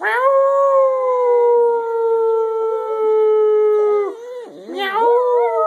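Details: Singing pet dog holding one long, even howl for about four seconds, then a wavering, dipping break before the howl rises again at a similar pitch.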